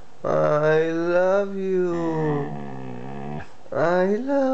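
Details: Two-year-old Siberian Husky vocalizing as if talking: long, smooth, tonal moans that slide gently downward, a brief pause, then a fresh rising-then-level wail, all indoors.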